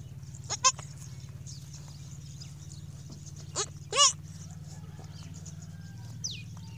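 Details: A newborn goat kid on its first day gives short, high, quavering bleats over a steady low hum.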